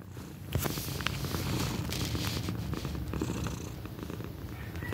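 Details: Pequeña, a young female pet cat nearly one year old, purring loudly: a steady low rumble with rhythmic pulses, overlaid by scattered clicks and soft rustling close to the microphone.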